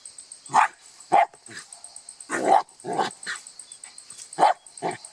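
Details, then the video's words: Scattered single dog barks, loud and abrupt, spaced roughly half a second to a second apart over a steady high-pitched electronic whine. "Szczekanie psa"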